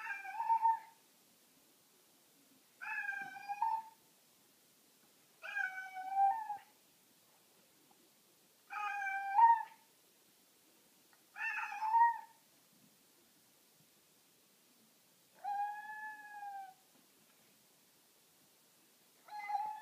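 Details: Pet cat indoors watching a huge cat on the back porch, repeated short nasal meows, each about a second long, coming every two to three seconds in a quiet room.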